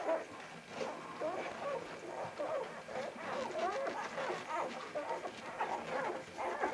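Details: Litter of Vizsla pups on 10 January 2013, a busy chorus of thin, wavering whines and squeaks from several puppies at once, continuing without pause.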